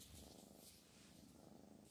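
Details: Cat purring softly: a brief low, rhythmic rumble with no other clear sounds.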